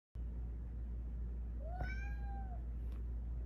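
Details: Domestic cat giving a single clear meow, rising then slowly falling over about a second, against a steady low hum.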